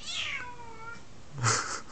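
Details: A 9-month-old spayed female F2 Savannah cat, formerly a terrified half-feral kitten, gives a long meow sliding downward in pitch, crying for attention; talks like this almost every night despite play, with face rubbing.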